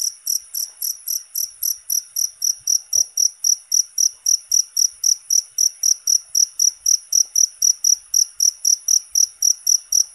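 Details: Natural cricket sound used for songbird training and therapy: loud, constant high-pitched chirps repeating steadily about three to four times per second, with a faint thump near three seconds.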